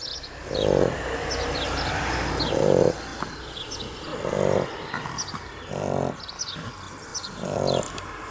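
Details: Pair of Shar Pei puppies sleeping after playtime, giving regular throaty snores about every one and a half to two seconds over a faint hiss and scattered high chirps.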